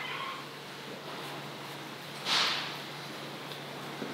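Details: Dafu, a 2-year-old female Maine Coon who loves people, gives a single short, high-pitched meow demanding attention and caresses, over a faint steady hum.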